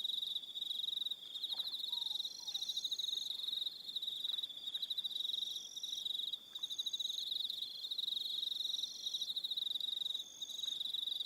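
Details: Evening cricket chorus from Aroha Island, New Zealand: continuous shrill pulsed trilling from multiple insects, higher faint trills above, and a few soft low chirps mixed in.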